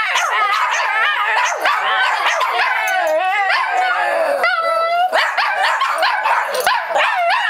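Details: Several pet Shih Tzu dogs howl together in a family 'song', overlapping wavering, rising and falling wails with quick yipping notes, dense and continuous throughout with no pauses.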